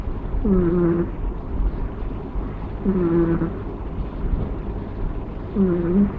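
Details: Persian kitten Roku napping on its owner's body, snoring softly with a nasal, whistly "puu puu" tone. Three short wavering notes, each about half a second, come roughly every two and a half seconds over a faint low hum.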